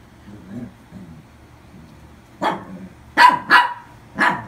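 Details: Newly adopted toy poodle giving a burst of high, sharp barks after a quiet start with soft low background sounds; four yaps in under two seconds, the middle pair coming in rapid succession.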